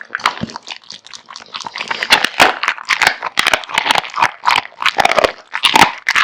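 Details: Kotetsu, a male American Bully born in 2016, wolfing down a big meal of raw meat and bones indoors: rapid, wet crunching and snapping bites in dense bursts, with sharp cracks of bone between quieter chewing.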